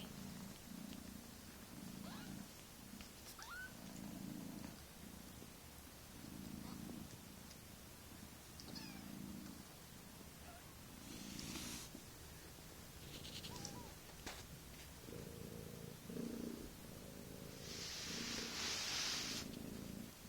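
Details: Mother cat purring beside kittens only a few weeks old: rhythmic low purr pulses with brief hissy rustling bursts and a few faint higher squeaks.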